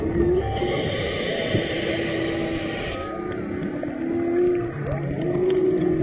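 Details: Humpback whale song heard underwater on a dive off Maui in March: long level moaning units held a second or more, repeated with short gaps, over constant ocean hiss and a brief bubbly burst.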